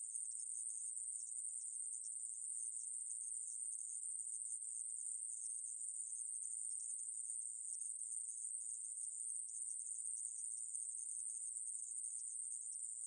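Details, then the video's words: Unwavering high-pitched sizzle of a coneheaded katydid (애매부리), recorded 2020, running continuously at a steady level with no pauses or other noises. "애매부리, 여러번 듣기, 곤충소리"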